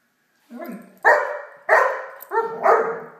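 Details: Playful barks from Blacky, a Great Dane puppy, at play with a toy dog: a soft lead-in yelp followed by four bright, tonal barks spaced roughly half a second apart.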